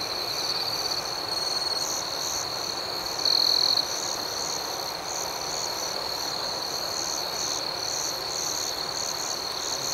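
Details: Night-time cricket chorus, a continuous shrill trilling with a rapid pulsing rhythm and one short, louder burst of chirping just past the midpoint.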